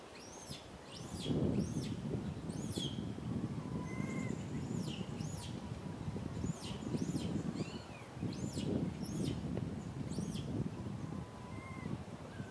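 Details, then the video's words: Little monkey RAIN cries loudly from a tree, sadly asking mother RANY for milk; shrill, arching squeals come in quick clusters with brief pauses, while low rumbling noise runs beneath. "Little Monkey RAIN cries loudly on the tree so sad asking for milk Mama RANY"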